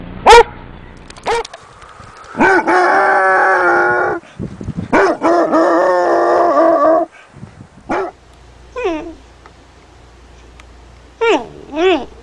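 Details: Basset Hound barking and baying: a few short barks, then two long drawn howls held for about two seconds each, followed by scattered rising yelps and barks.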